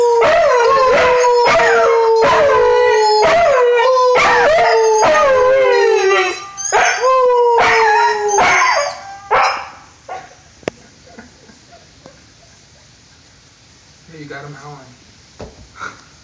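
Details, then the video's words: Five-month-old white Husky named Eli giving a run of howls, each starting with a sharp yip and sliding steadily downward, repeated roughly every second for nine seconds, then fading into quiet room noise with a few faint sounds. "Eli, Howling Dog, Howling White Husky"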